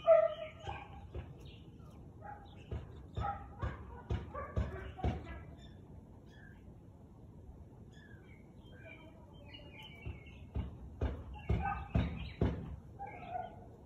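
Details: Siberian Husky barking, recorded 13 March 2021 at 4:17 pm: two bursts of short, sharp barks several seconds apart, separated by a quiet gap where small birds chirp and twitter.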